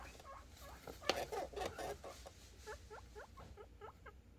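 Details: Several guinea pig boars squeaking happily in anticipation of food, a series of short hooked, rising whistled squeaks repeated about twice a second, with a burst of rustling and clattering near the start.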